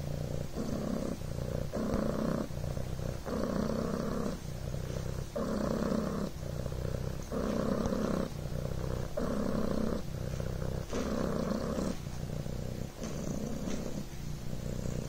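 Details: Coco, a Devon Rex kitten, purring on a blanket: a soft, low, buzzing rumble that swells and fades in a steady rhythm with each breath in and out, about every two seconds, with no other clear sounds.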